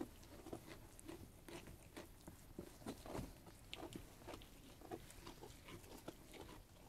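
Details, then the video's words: Sheep eating food, dense rapid crunching and biting clicks, some louder chomps clustered around the middle, against a low background rumble. "Sheep Eating Food ASMR"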